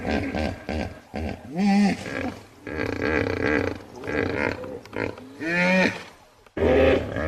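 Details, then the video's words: Hippopotamus calling in a run of deep, harmonic bellows and grunts, some rising then falling in pitch, in separate bursts with short gaps between them, with a low rumbling undertone throughout. "Hippo Sounds"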